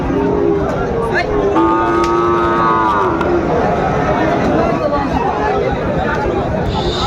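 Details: Sahiwal cattle, bull calves at a Chattogram market in Bangladesh, 17 March 2025: a level, humming moo of a second and a half, then fading, amid a dense background of people talking and bargaining.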